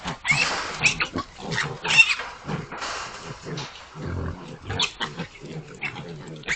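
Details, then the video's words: Chorus from a group of 19 hogs, rapid overlapping grunts and short harsh squeals repeated throughout, noisy and crowded. "19 hogs making noise"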